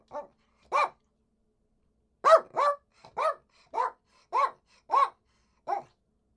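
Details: Poodle giving a run of about ten short, sharp barks, a couple spaced out then a faster even series, each bark abrupt and clipped, with a quiet background.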